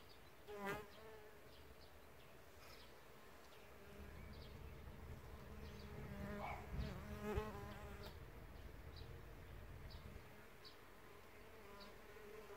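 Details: Bees at an insect hotel, wingbeats forming a continuous low hum, with individual insects flying close past around one second and again between six and eight seconds, each pass brightening and rising briefly.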